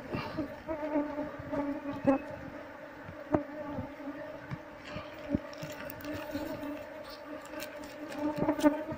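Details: Honey bee swarm in a nest under a window beam, disturbed during a search for the queen to move the colony into a hive box; sustained harmonic droning buzz with scattered taps and clicks of work.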